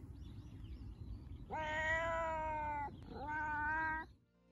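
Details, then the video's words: Happy meows of a domestic cat, given while showing affection or playing, a sign of trust: two drawn-out, slightly falling meows, the second shorter, over low background noise. "cat meows these types of meows are our favorite they are used when your cat surprises you with a display of affection or while you play with them"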